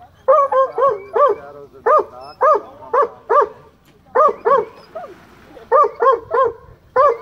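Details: Boo, a rescued male black and tan coonhound at a county dog park, barks high-pitched at fish before diving after them; sharp, arched yelping barks come in uneven clusters, roughly twenty in seven seconds, with short pauses between bursts.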